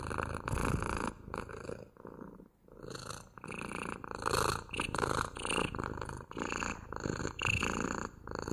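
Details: Close-up purring of a house cat, a rhythmic vibrating rumble rising and falling with its breathing. A longer pause around two and a half seconds, then steady, slightly breathy pulses resume.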